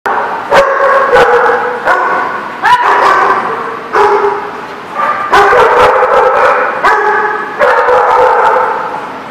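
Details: Dogs at a kennel lot barking on 2/2/19, with loud overlapping barks in quick bursts, some yelping and rising, several voices layered into near-continuous noise with short gaps.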